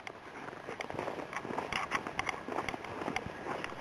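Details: Crunching footsteps and scuffs in April snow come in quick, uneven bursts outdoors.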